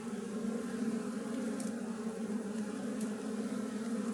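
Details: Wild western honey bees, Apis mellifera, in a colony nesting inside a tree, make a steady droning hum with a strong low buzzing tone and fainter overtones. A few faint clicks break in near the middle.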